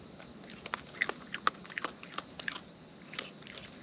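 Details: Wild raccoons eating at close range: crisp, irregular clicks and crunches of chewing come in quick bursts a fraction of a second apart, some louder snaps standing out over a faint steady hiss.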